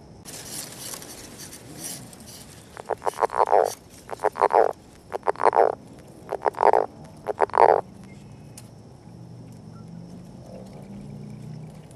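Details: Northern leopard frog courtship calls beside an egg mass, a series of five short rattling croak bursts about once a second, each made of quick clicking pulses, with faint background hiss before and after.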